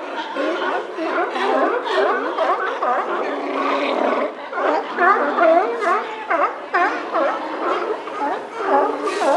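Whale song: a busy stream of whistled, swooping and chirping tones that rise and fall, overlapping constantly.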